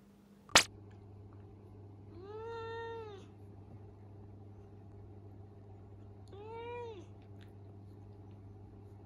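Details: Minira, a male Minuet kitten born June 2020, mumbles excuses indoors after being scolded for mischief: two drawn-out, arching meows about four seconds apart, following a sharp click at the start, over a low steady room hum.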